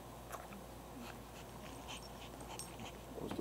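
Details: A female English Bulldog breathes heavily, with quick, raspy, snorting breaths in a steady rhythm.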